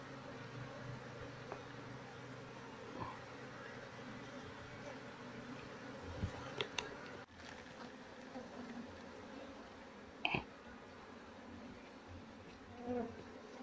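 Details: Wild honey bees during relocation of their colony to a cultivation box, the queen not yet found. A low continuous buzz runs throughout, with scattered clicks, taps and handling noises.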